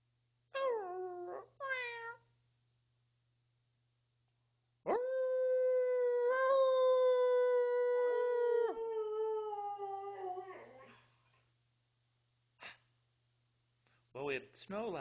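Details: Tuscany, a 12-year-old family Siberian Husky, excited about the previous night's snow and prompted to speak, gives two short yips, then a long, steady, clear howl of nearly six seconds sagging slightly in pitch, ending with quick yelps.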